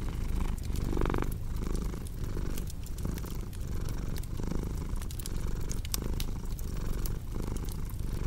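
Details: Domestic cat purring steadily beside a crackling fireplace, a low rumbling drone that swells and fades in regular breath cycles under a second apart, with sharp wood-fire pops and snaps scattered throughout.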